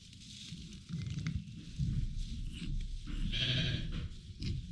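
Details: A newborn lamb with respiratory issues, in her first hours of life, cries in short, strained bleats during tube feeding, a sign the tube is not in her lungs. Low handling noise runs underneath.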